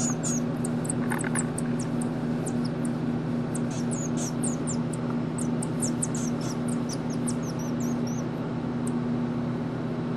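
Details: Pygmy marmoset Mico, a hand-reared baby in a captive breeding program at the Rare Species Conservatory Foundation, at play: a continuous scatter of tiny, piercing high squeaks and brief trills throughout, with a constant low mechanical hum beneath.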